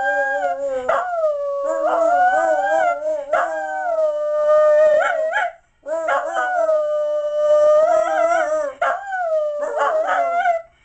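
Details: Howling of a pet mixed-breed terrier, pleased with the gift Santa brought at Christmas: steady, drawn-out wavering howls that rise and bend at phrase ends, in several long notes with short breaks between them.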